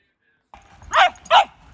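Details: Cavalier King Charles Spaniel Louis Philipp, a tricolor family pet in Munich, Germany, lets out two quick yappy barks in close succession over a faint background hiss.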